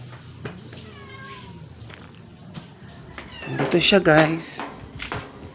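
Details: Stray cat, sick and near death, being force-fed: a thin, falling mew early, then a louder harsh, quavering cry mixed with close handling sounds and soft talk.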